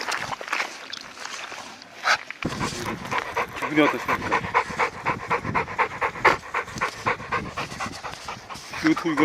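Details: Labrador Retriever on a mountain walk through an unexpected late-March heavy snowfall in Gangwon Province, Korea; quick rhythmic breathy panting, several puffs per second, with people talking nearby.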